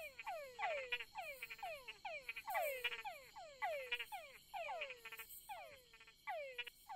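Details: At night on creek beds of Barro Colorado Island, Panama, male Túngara frogs (Engystomops pustulosus) call in a chorus of descending whines to court females.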